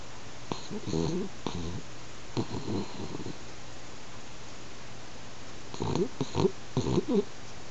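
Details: Sleeping French Bulldog kept as a house pet, its snoring building in loudness; a series of short, throaty, vibrating snorts clustered at the start and again near the end, separated by quiet breathing.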